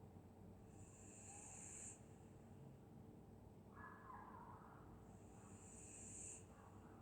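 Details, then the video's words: On a winter night in Scotland a sleeping dog snores in a slow cycle: a long hissing inhale, a softer rumbling exhale a couple of seconds later, then another hissing inhale, all over a constant low background hum. "Dog snoring in Winter night"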